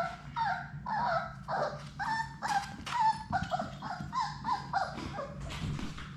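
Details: Six Labrador Retriever puppies from Sadie's litter play together in their puppy play room on a live puppy cam, giving a busy run of high, whiny whimpers and short yips that tumble over one another, rising and falling, with a low hum underneath.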